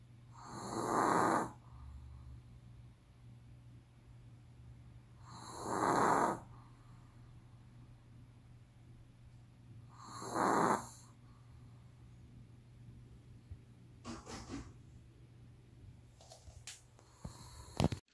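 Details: A sleeping Pomeranian snores heavily: three broad, breathy, raspy snores, roughly one every four and a half seconds, over a steady low hum, with a few small clicks and rustles near the end.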